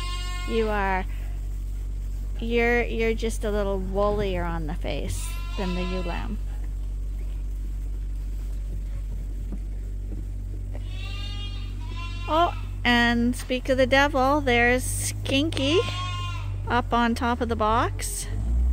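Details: Bottle-baby lambs at Ewetopia Farms, still with their mothers but given extra milk twice daily from a hand-made feeder; bursts of quavering bleats come in clusters, a quieter stretch midway, then a dense chorus of calls near the end above steady hum.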